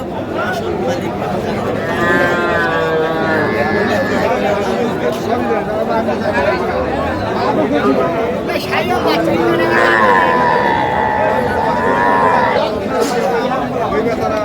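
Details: Young Sahiwal bull calves at the Raniganj cattle market on 6 March 2025, bought by a Sylhet farmer. Two drawn-out, harmonic moos, one near the start and a longer one after a pause, over steady crowd chatter and bargaining voices.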